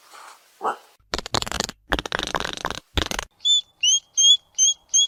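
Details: Hedgehog snuffles: low, raspy huffing bursts in quick irregular clusters, followed by a run of five short, high whistled squeaks repeated about every third of a second.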